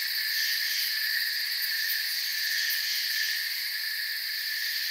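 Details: Crickets in a forest setting, a dense and unbroken chorus of high, steady shrill tones stacked in several bands, with no pauses and no other clear sounds.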